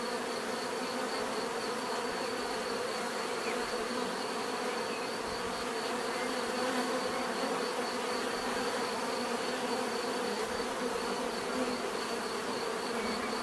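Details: Steady massed buzzing of bees, thick and unbroken, humming in several overlapping pitches while a light pulsing high note holds throughout, loudness staying even from start to finish.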